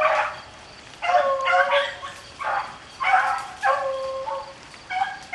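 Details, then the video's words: Beagles hunting rabbits in the rain give separated bursts of baying, each a short, harmonic yowl lasting under a second, spaced about a second apart over a steady background hiss. "rabbit hunting with beagles in the rain"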